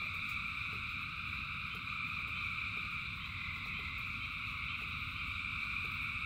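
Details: Rain pours while thousands of frogs sing together, a steady high-pitched pulsing drone in stacked layers, with brief drip clicks and low-frequency rain noise.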